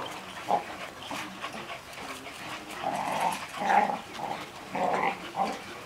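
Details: Caged six-week-old Golden Retriever puppies whine in short, nasal bursts: a yip near the start, then a cluster of rising whimpers toward the middle and end, over soft background shuffling.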